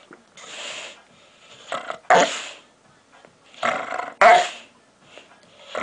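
A dog gives odd, breathy growling grumbles that rise sharply into louder harsh bursts, repeating every couple of seconds.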